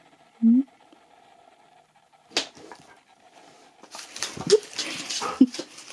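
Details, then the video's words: Nook, a Husky indoors at Easter, talks to his Easter egg, then ignores it and plays with it before eating it: one short rising yelp-like vocal early on, then two brief squeaky sounds amid crinkling, rustling wrapper noise. "Husky TALKS to ~ IGNORES then PLAYS with his EASTER EGG before eating it"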